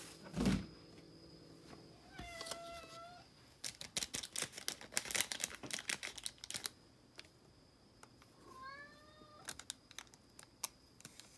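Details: Norwegian Forest Cat indoors while being given medicine, giving two drawn-out meows, the first fairly level and the second rising then falling, between bursts of clicking and tapping, with a thump at the start.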